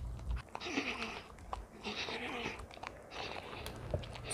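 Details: Baby pet Arctic fox named Richie eating greedily indoors, fed dog and cat food mixed with cooked ground duck, smearing food on its ears; wet crunching bites come in three bursts within a small room.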